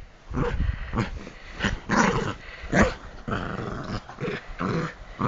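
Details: An excited Bichon Frise at bedtime, pouncing on feet and hands; rapid throaty growls in quick bursts, roughly one or two each second, with a few sharper yips.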